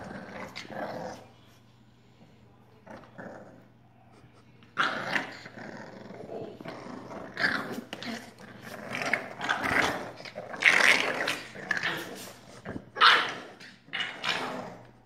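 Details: Olde English Bulldogge puppies, two of them, playing; rough growls and snarls in bursts with short yelping barks, louder and denser in the second half, with scuffling noises between.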